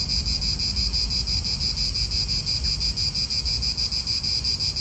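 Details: Cicadas in an Italian park keep up a loud, high-pitched buzz that throbs in quick regular pulses, about three each second, while soft wind and low traffic rumble sit underneath.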